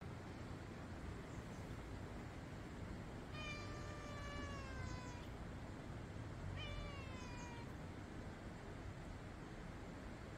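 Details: Gentle stray cat at a park entrance near a restroom, well fed by passersby, gives two drawn-out meows, the first about two seconds long and the second shorter, over a steady low rumble of background noise.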